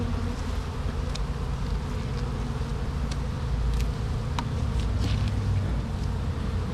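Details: Bees swarming around an opened hive during inspection: a thick, low, unbroken hum with occasional sharper buzzes of single bees flying past, swelling slightly toward the end.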